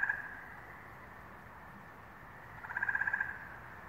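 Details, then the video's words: Frogs calling in New England on May 11, 2023: a short, rapid pulsed trill opens the clip and another half-second burst of quick pulses returns near the end, over a steady hum of a distant calling chorus. "Frog Songs - New England, May, 2023"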